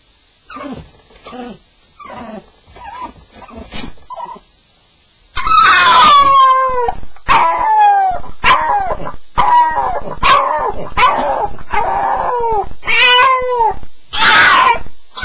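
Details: Staffordshire Bull Terrier (staffie) on its first night, sound of a nightmare: soft scattered whimpers at first, then loud repeated high yelping cries with falling pitch, about one every second.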